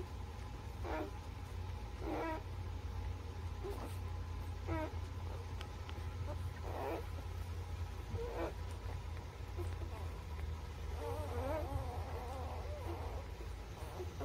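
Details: Newborn puppies, birth to three weeks old, give short high squeals roughly every one to two seconds, followed by a run of wavering whimpers, over a steady low hum.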